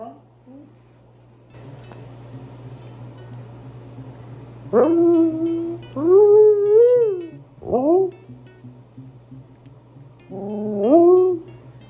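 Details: Husky talking indoors early in the day, suppressing its urge to howl while asking for food. Soft murmurs give way to several bending, yodel-like woo calls and a quick dipping yelp, all over a steady background hum.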